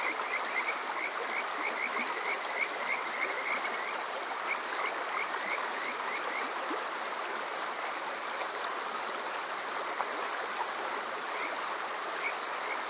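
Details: Kajika frog by night in summer at Water Park Shirayama, Yokoze, Saitama, Japan, TASCAM DR-05X recording: a quick burst of clear rising whistles early on, then scattered single notes against a continuous stream roar.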